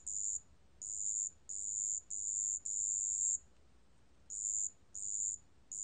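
A marsh bell cricket sings high, pure ringing trills in short bursts separated by brief pauses.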